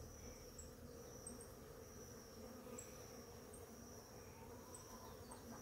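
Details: Many bees feeding on a flowering ora-pro-nobis plant in the morning give a low, steady humming drone. A constant high insect whine runs underneath, and short high chirps repeat about once a second.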